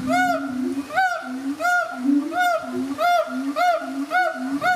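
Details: Siamang family duetting at ZooTampa, Tampa, Florida, a captive mother and father with their baby: steady rhythmic barks, roughly one every half second, each riding over a low resonant boom, forming a pulsing chorus.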